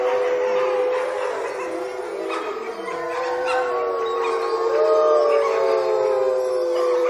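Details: Wolves in Olomouc, 29 August 2013, howling in chorus: many layered, wavering howls at different pitches overlap without pause, some sliding upward, a few falling, the whole sound swelling louder toward the end.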